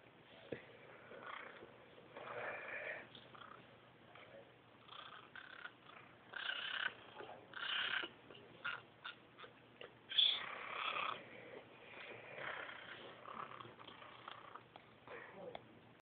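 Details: Caracal (Caracal caracal), kitten calls.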